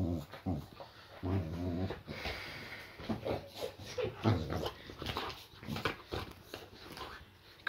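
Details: Layla, a Boxer, playfully roughhousing with her owner in a small room as a welcome home; a few low harmonic growl bursts near the start, followed by scuffling and clicks with the man talking.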